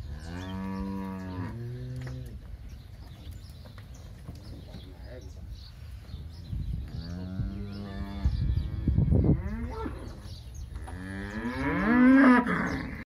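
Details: Crossbred heifers in a sale herd near São José do Rio Preto, São Paulo, Brazil: a few medium-loud moos spaced apart, with a louder rising call near the end and some low rumbling background noise.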